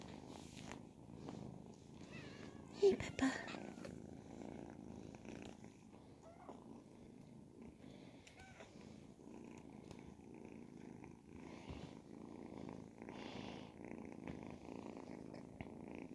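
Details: Ragdoll kittens, ten and twelve weeks old, purr indoors in a long, even low drone, with a louder bump and faint chatter early on and small rustles later.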